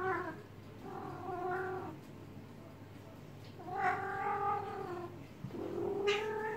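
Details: Housecat in heat calling during a calming massage: a string of four drawn yowls, some wavering and rising in pitch, with quieter gaps between them and faint background hum.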